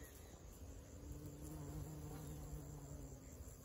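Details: Honey bees gathering nectar among flowers give a steady, low, humming drone. It swells in and holds for roughly two seconds over a soft rustling background, then thins out.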